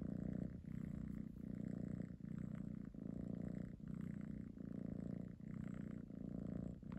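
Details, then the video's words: Domestic kitten giving a loud, deep purr, rumbling continuously with short breaks for breath roughly every 0.8 seconds, strong and even throughout, indoors with nothing else heard. "Loudest Purring Kitten"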